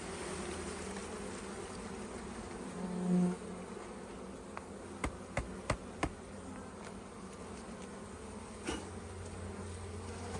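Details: Buzzing of many honey bees inside an open hive, a continuous low droning hum lasting throughout, broken by a few sharp wooden clicks and knocks from hive handling near the middle.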